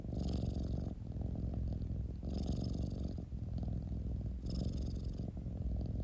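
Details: Close, continuous cat purr, low and throbbing, swelling with a soft airy hiss roughly every two seconds across three breaths, without other sounds.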